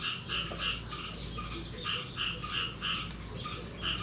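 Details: Frogs croaking on the morning of 9 May 2022 after the year's first rain: short, bright croaks repeated about three times per second in a loose, uneven rhythm against a noisy low hum.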